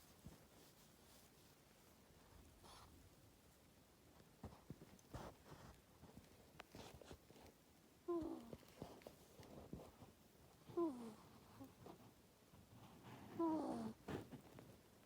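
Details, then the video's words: Luna, a female pet ferret with an ear tumor, sleeping in a cage in a bedroom: soft wheezy, squeaky breathing snores in three short bursts about two and a half seconds apart, quiet room background. "compilation of my ferret snoring"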